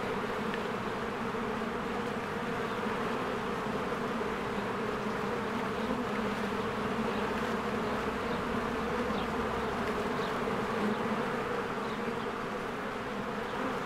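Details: Honeybees in spring flying in and out of their hive while flowers bloom; a dense, steady droning hum with layered low buzzing tones that never pauses, and faint brief high chirps now and then above the swarm.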